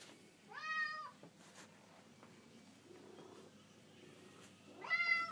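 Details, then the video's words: A domestic cat meows while following the camera indoors: two clear, drawn-out meows, one near the start and one at the end, with a quiet gap between them. "meowing and following camera"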